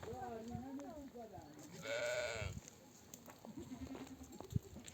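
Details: Nomadic ewe returned from pasture calls her lambs to suckle; a short wavering cry opens, then a loud sustained quavering bleat, with a faint bleat later and quiet background noise.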